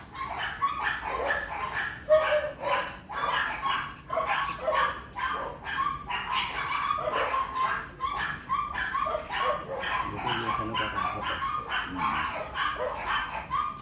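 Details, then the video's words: Pomeranian barking at a park homes area in Muntinlupa, Philippines, said to be scared; rapid repeated yapping barks in a continuous run, mixed with people talking nearby. "pomeranian shoot"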